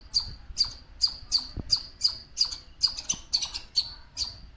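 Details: Squirrel chirping in a leafy home garden: sharp, high, squeaky chirps repeated steadily, about two per second, each a brief bright note, with faint low rustling underneath.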